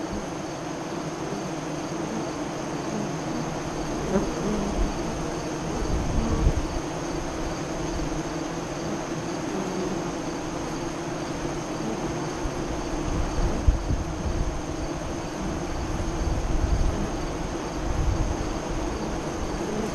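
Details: Honey bees at the westward-facing entrance of a hive five miles east of Lyons, Nebraska, during the 2017 eclipse, between 2:48 and 3:00 CDT. A steady, dense low buzzing hum with small swells in loudness runs throughout.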